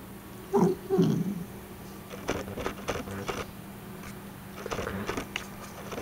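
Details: Puppy being trained indoors to growl on command: two short, low rumbling growls in the first second and a half, followed by soft tapping and shuffling noises in a small room.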